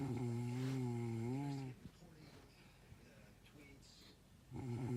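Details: Sleeping dog snoring through the night: a long, low, droning snore with a wavering buzzy tone lasting almost two seconds, a quiet pause, then the next snore starting as the breath returns.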